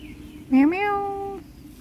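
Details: Black cat giving a single loud meow, starting with a sharp upward sweep and then holding a steady, clear tone for just under a second before stopping abruptly, with faint background hum.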